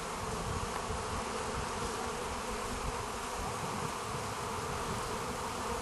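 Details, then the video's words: Bees being fed by hand produce a dense, continuous buzzing hum, steady throughout, with a busy low-pitched drone of many wings close to the recorder. "Busy Bees"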